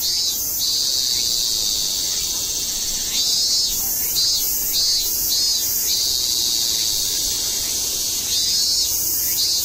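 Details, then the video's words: Japanese cicadas recorded in Tokyo in September 2012 sing in chorus, a dense, high, hissing drone with rhythmic pulses rising and falling throughout. "The song of Japanese Cicadas"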